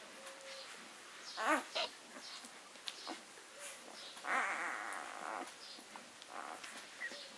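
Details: Newborn Leonberger pups at six days old let out two distinct rising-and-falling squeals a few seconds apart, between softer scattered whimpers and rustling in a quiet room.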